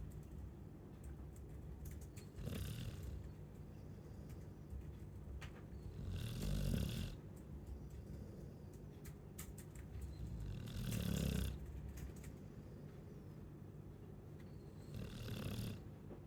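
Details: Chow Chow snoring, a quiet low rumbling snore rising in four broad bursts about every four seconds over a steady background hiss.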